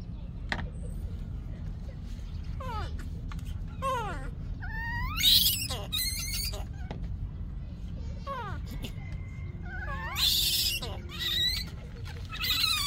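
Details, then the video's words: Yaya's baby monkey, crying for Yoyo's milk, lets out a long series of wavering, rising and falling wails that break into harsh, loud screams twice, amid low rumbling background noise. "Yaya's baby monkey is still broken, screaming for Yoyo's milk"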